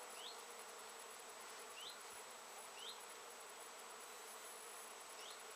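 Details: Dense, unbroken drone of honey bees working Japanese knotweed flowers in late season, 14 September 2013, with four short rising chirps over the hum.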